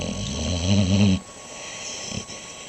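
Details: Dog snoring: one rough, low, buzzy breath lasting about a second, then a soft, quiet hiss of breathing.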